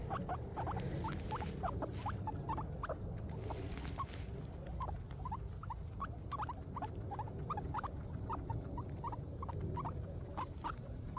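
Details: Several happy guinea pigs eating grass, making steady rhythmic crunching bites, a few each second, above a constant low background rumble.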